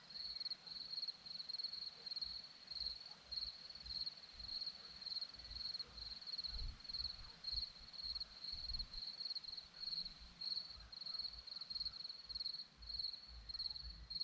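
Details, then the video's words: Crickets on a hillside at Zorlesti, Romania, chirping in steady high-pitched pulsed trills, the bursts running on without pause, with faint low rumbles of wind or distant traffic underneath. "Crickets sound"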